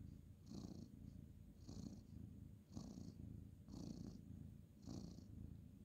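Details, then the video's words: Male ginger tabby cat purring as he is petted at bedtime on the bed: steady low rumbling purr with breathy pulses roughly every second, a faint hiss on each breath. "cute ginger tabby cat petting purring"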